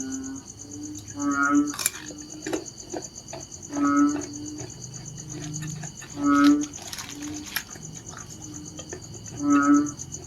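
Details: Narrow-mouthed frog calling: four short, low, nasal calls rich in overtones, about two and a half seconds apart, over a steady high insect buzz and faint background noise.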